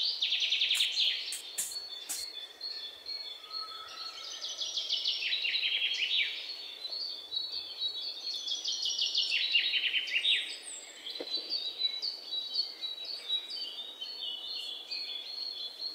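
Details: An Indian palm squirrel chatters almost without pause: strings of quick, piercing chirps that step slightly downward in pitch, with a few sharp clicks early on and steady ambient noise behind.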